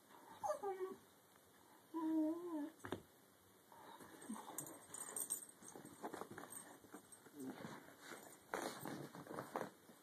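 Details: A red Irish Setter lying under a couch gives two high, wavering whines that bend up and down in pitch early on, then shuffles and rustles, with scattered soft thumps and brief noisy bursts later.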